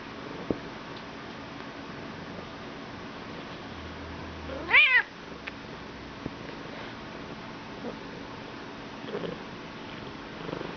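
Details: Talkative Bengal cat being petted gives a single clear meow that rises and then falls, with rich overtones, about halfway through. The rest is a quiet room hum with a few faint clicks.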